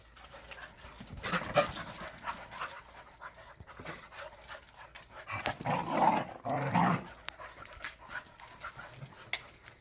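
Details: Exercise time for three Korean native Jindo dogs, Sundol, Baekho and Ttoksuni: quick, breathy panting with a few brief louder huffs, irregular in rhythm, over faint outdoor ambience.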